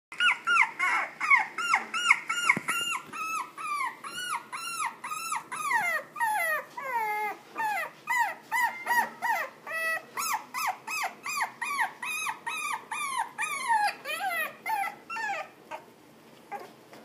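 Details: Pekingese and Toy Poodle cross dog indoors, giving a long run of high, whining yelps, each sliding up then down, about two or three per second, steady and insistent before trailing off near the end.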